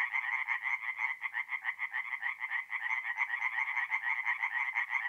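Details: Singing tree frogs at a forest pond at night in mid-April, North-East Italy: dense overlapping chorus of rapid raspy croaks, several pulses per second, pitched mid-high with bright harmonics, no other sounds.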